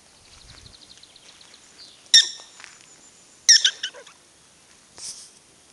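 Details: Prairie dogs at Wildpark Frankfurt/Oder: two loud, sharp, harmonic chirping barks about a second and a half apart, followed by a fainter third call, preceded by a soft, fast series of high ticking notes.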